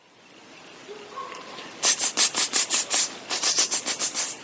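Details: Leadbeater's possum calling in response to a person, recorded on a stag watching visit in 2012 near Yellingbo: a run of about fifteen harsh, hissing rasps in quick, slightly uneven succession, following a couple of faint soft tones.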